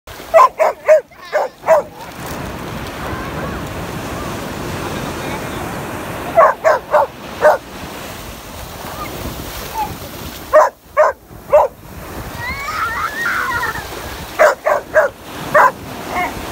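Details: Labrador Retriever puppy barking at the ocean to protect its little owner: bursts of three to five sharp, loud barks at the start, around six and ten seconds and again near the end, over a steady roar of surf, with a brief voice in between.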